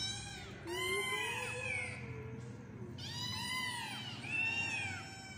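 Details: A kitten gives two long, drawn-out meows, each rising and then falling, over a steady low hum.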